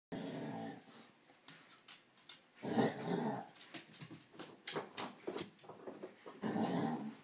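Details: Two pet dogs playing and making strange noises at each other, one in an odd mood; short bursts of low rumbling growls with soft whines, separated by clicks and thumps of play indoors.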